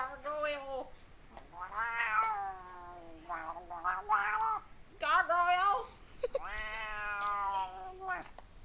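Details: A fat domestic cat making weird sounds: a series of drawn-out, wavering, nasal meows and yowls, some rising and falling, with short pauses between, and a person talking faintly in the background.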